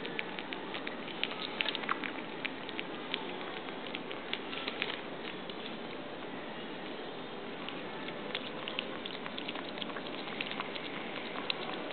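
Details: Dense pattering and crackling like rain on a surface continues throughout, with no animal voice.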